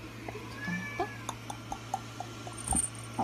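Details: Munchkin kitten aged 45 days lets out a short high mew early on, followed by a run of soft ticking sounds spaced roughly every quarter second, with a constant low hum beneath.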